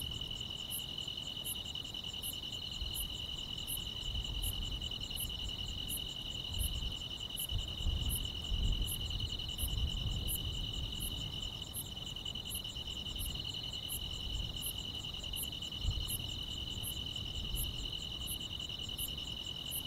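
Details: Grass insects chirping through a summer night: an unbroken high-pitched trill with an upper buzzing band, regular bright ticks about every 0.75 seconds, some twenty-six in all, and a gentle low rumble that swells midway.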